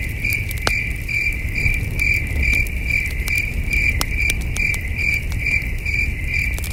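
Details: Night crickets at a wilderness campsite beside a campfire, their distant chirping a continuous string of evenly spaced high pulses, broken by sharp crackling pops from the fire and backed by a soft low rumble.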